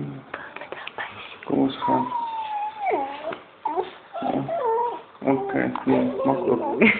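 A Basset Hound puppy gives high, wavering whines and little yelps, with a person talking nearby.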